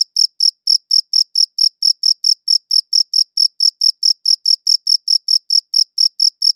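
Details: Crickets producing shrill, brief chirps, recorded with a good audio recorder, repeated roughly four per second in a steady series of about twenty-six; silence fills each gap.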